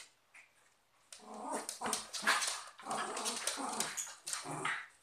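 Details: Dog. A cocker spaniel and a westie trade rough, rumbling growls and sharp snarls as they fight, the sounds overlapping in quick bursts. After a brief quiet start, the noise runs almost without pause to the end, in a small indoor room.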